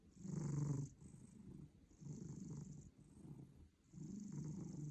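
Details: A sleeping cat snoring very loudly, with low rumbling breaths in about five drawn-out pulses of roughly a second each, separated by short quieter pauses, plus a steady faint hiss overhead.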